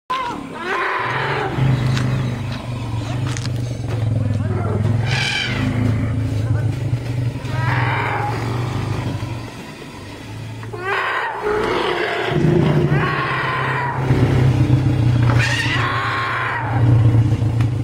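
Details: Captive elephant family, including two captive-born calves aged four and five months, screaming, screeching and bellowing for joy as mothers and grandmother are released from chains; repeated harmonic rising screeches over a steady low rumble, with human voices.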